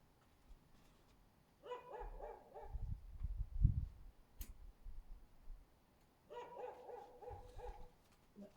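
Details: Husky barking under a window on 24 February 2024, heard as two bursts of several rapid, ringing barks a few seconds apart, somewhat distant, over low rumbling thuds and a sharp click.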